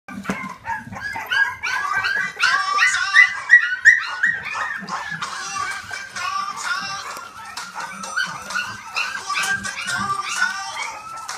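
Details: A litter of blue pied Staffordshire Bull Terrier puppies in a kennel whines and yelps in a busy, overlapping chorus.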